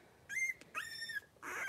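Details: Playful squeals from a litter of five blenheim Cavalier King Charles Spaniel puppies, three weeks old, tussling in their indoor pen; two high thin whines, the second longer and gently falling, followed by a rougher breathy burst.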